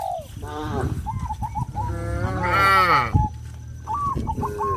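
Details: Cows on a traditional village farm, moving off a sidewalk into fields, give a long, wavering low moo that swells and fades over about a second and a half. Quick repeated chirping notes from other animals sound before and after.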